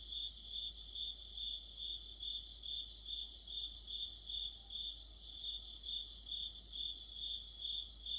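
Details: Cricket-led orchestra of insects in deepening autumn: a continuous high-pitched trill swelling and fading in regular pulses, with a sharper, higher cricket adding quick chirp series at the start and again later.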